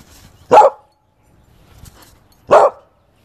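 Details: Corgi Husky mix puppies giving two short, sharp barks about two seconds apart, with quiet rustling in the gap between them.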